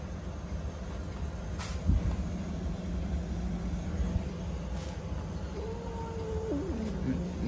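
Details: A handsome domestic cat that wishes to fight but is tempted by pizza rolls gives a long low steady growl, then a short higher tonal yowl that wavers and drops at the end, over a constant low rumbling background.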